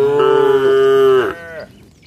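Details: Tame cow gives a long, steady moo that drops in pitch and fades, as the herd walks along a rural road heading home to the shed with its herder.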